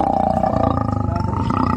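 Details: Lion giving its characteristic, dignified roar: a loud, deep, throbbing growl with rapid regular pulses and a steady tone running through it, lasting under two seconds.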